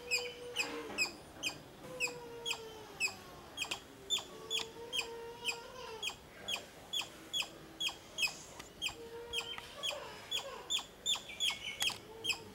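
A squirrel gives sharp, clicking chips repeated roughly twice a second in a steady chattering series.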